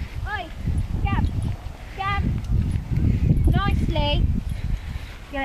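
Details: Playing together, puppy Willow, 13 weeks old, and Scamp, a Jack Russell cross Toy Poodle: short arched yelping whines come in scattered bursts, some doubled, over low thumping and scuffling, with a human voice in between.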